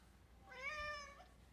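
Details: Male house cat meowing indoors as part of a regular routine of trying to get into a room; one drawn-out, slightly rising then level meow lasting about half a second, in a quiet setting.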